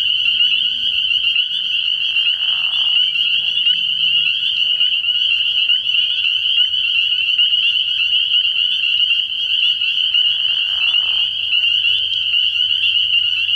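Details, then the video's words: Early-season night chorus of spring peepers at a pond: countless high peeps blend into one loud, constant ringing, with occasional lower bursts and a faint deep rumble below. "Relaxing Tree Frog Sounds"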